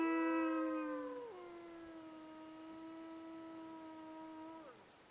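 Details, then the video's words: Wolves howling, played to invite dogs to howl along: a louder opening voice slides down in a step, then a softer, long, level howl holds before falling away at the close; faint background hiss. "Wolves Howling"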